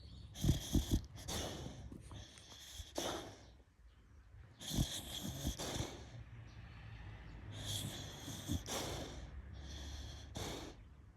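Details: Fukuko, a sleeping Beagle dozing in the sun, snores in low, rough, rasping breaths that come in bursts and short runs with quiet gaps between them, while small birds twitter in high, thin chirps in the background.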